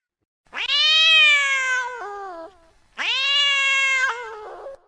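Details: Female cat in heat giving two long, loud meows. Each starts with a quick upward swoop, holds a steady strained tone, then breaks into a lower, wobbling tail. There is no background noise.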